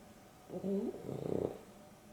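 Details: Dexter, a pet dog sharing an afternoon nap with Rio (a Boston Terrier and a Beagle cross), snoring: one drawn-out breath with a wavering, tonal rasp, quiet room around it.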